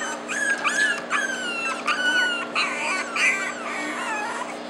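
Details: A four-week-old French Bulldog puppy whimpers in thin, high, wavering cries that bend up and down, repeated roughly every half second to a second, with a steady low hum behind.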